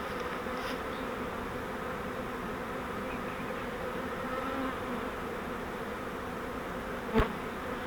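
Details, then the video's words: Honeybee swarm captured in a custom fiber flowerpot trap while moved into a Langstroth hive: steady collective humming of many bees, a single sharp knock shortly after seven seconds. "We Caught a Swarm of Bees"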